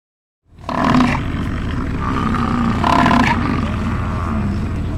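An American bison gives a deep, rumbling bellow that rolls on without a break.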